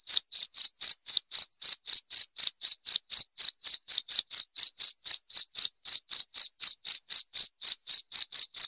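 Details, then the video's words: Cricket chirping, used as a rat repellent sound: a continuous train of sharp, bright pulses at roughly four per second, evenly spaced and strong, with a clean, quiet background. "SUARA JANGKRIK PENGUSIR TIKUS"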